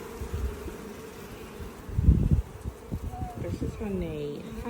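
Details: Caught swarm of honey bees being checked frame by frame by a beekeeper looking for the queen; a steady low droning hum runs throughout, with thumps and rustles from handling the frames and a brief louder burst midway.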